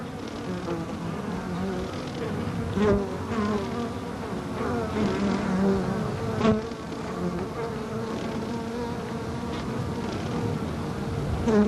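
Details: Waggle dance of Carniolan honey bees inside an open observation hive, recorded July 1990 with a capacitor microphone on a stick: a steady low buzzing hum with brief pulsed wing puffs rising and falling, dancing modulating the sound.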